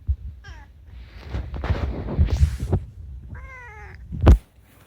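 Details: Rescued pet cat Unagi talking at night: a short meow at the start, then a stretch of rustling and shuffling noise, then a clearer wavering meow and a sharp knock near the end.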